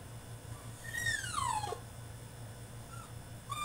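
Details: French Bulldog throwing a tantrum in his cage: a single loud whine that starts high and falls steeply, followed by two brief, quieter whimpers, with a low electrical hum throughout.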